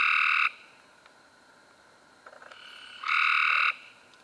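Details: Harsh, buzzy trill from a Cope's gray treefrog in May 2016, a half-second burst followed after a quiet gap by another strong trill, while weaker trills from other frogs sound in the background.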